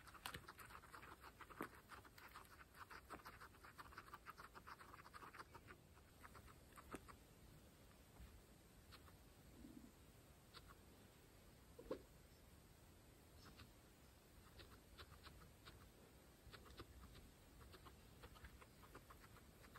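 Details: Pregnant female guinea pigs eating fresh grass, close-miked for ASMR; thick crunchy chewing during the first seconds, then thinning to sparse, isolated bites and soft rustles with quieter gaps.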